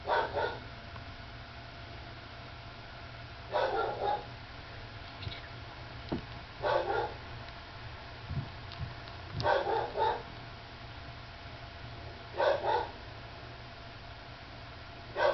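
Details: Dog, a mother with her sleepy nursing pup: short broadband barks or yips in separate bursts about every three seconds, a steady low hum running underneath.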